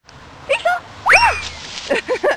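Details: Seven-month-old female Great Dane puppy at play: a loud yelping cry that arcs up and then falls, with shorter higher whines before it and human voices chattering around it.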